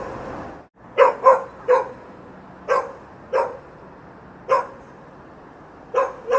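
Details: Dog barking on a city street: about nine short, sharp barks, some in quick pairs, at uneven gaps over six seconds, with a low steady hum of city ambience underneath.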